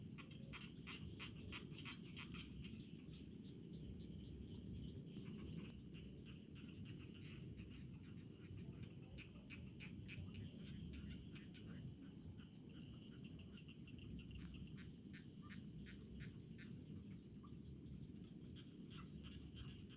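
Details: Cricket calling in rice fields with repeated trains of rapid, piercing high chirps separated by short pauses, accompanied by a quieter lower insect trill and a constant low background hum.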